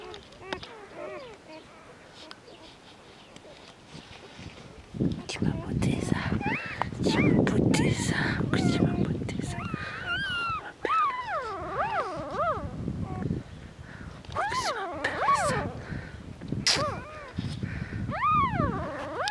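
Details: Two-day-old Border Collie puppies from Glycine's litter of seven, born 14 February 2019 at a farm breeding dogs, donkeys and goats; a woman's voice dominates at first, then repeated rising-falling squeaky whines follow in quick succession.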